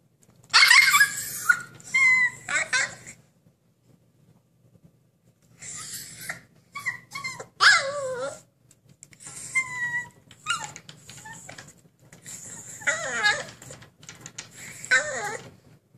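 A Siberian Husky throws a vocal fit, with wavering yodel-like howls, whines and rough yelps demanding freedom.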